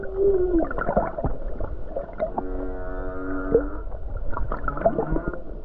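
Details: Humpback whale singing near the Hawaiian coast in calm weather: a descending moan opens, followed by a long buzzy harmonic tone lasting about a second and a half, scattered knocks and grunts, and constant low underwater rumble.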